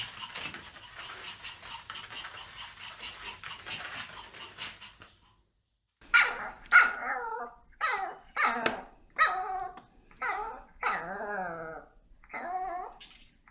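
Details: Pet dogs in front of treats: after several seconds of steady rustling noise, a series of high, wavering whines and yelps follows, each drawn out and bending in pitch, coming in quick bursts with short gaps.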